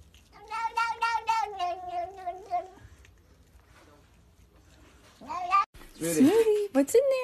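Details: Domestic cat giving a long, wavering meow of about two and a half seconds with a pulsing quality, then after a pause several shorter meows that rise and fall in pitch, with faint background voices.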